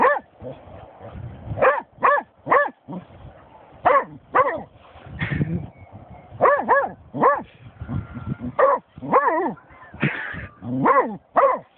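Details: Excited German Shorthaired Pointer barking at a dead seagull it discovered, steady bright barks roughly every half second to second, some in quick pairs, with faint background voice.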